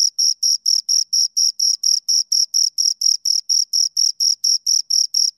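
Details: Pair of crickets stridulating right by the microphone, giving bright, high scraping chirps in a regular beat of about four per second, clean with nothing else audible.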